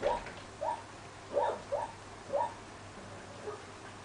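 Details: Central Asian Shepherd Dog, Samirah or Turanga, making rapid high whining yips, five or six short tonal calls within four seconds, over a low steady hum.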